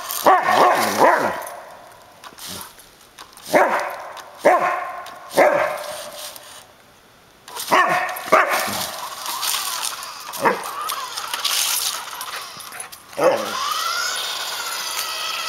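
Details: Samoyed barking at a remote-controlled car it chases; sharp bark bursts every second or so, some with yodel-like bends, then a long drawn-out whine, with a buzzing motor and rustling between barks.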